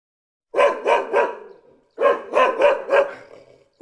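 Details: Puppy barks in two quick runs of three to four sharp, mid-pitched yaps, each run fading out, with a final bark starting at the end.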